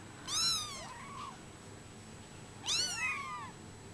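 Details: Brown Bengal kittens, 24 days old, indoors: two high, thin meows about two seconds apart, each bending down in pitch, with a steady faint hum in the background.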